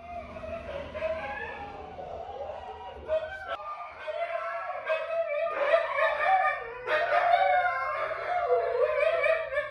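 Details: Siberian Huskies howling for their owner: a long, wavering, harmonic-rich howl that holds a steady mid pitch, swells and dips in waves, and breaks briefly twice before resuming, continuous for nearly ten seconds.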